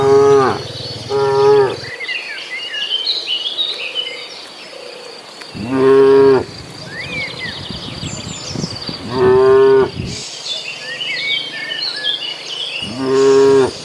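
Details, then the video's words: A crowd of dozens of cattle on the move toward green grassland, lowing repeatedly: a quick double moo at the start, then three more spaced moos, steady and tonal, over constant twittering birds and insects. "Suara sapi lucu riang gembira"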